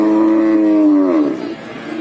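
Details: Cattle at the Babat livestock market in Lamongan, East Java, on Tuesday 29 September 2020, where breeding cows are sold; a steady, low, tonal moo held about a second and a quarter before dipping and fading, with market noise behind.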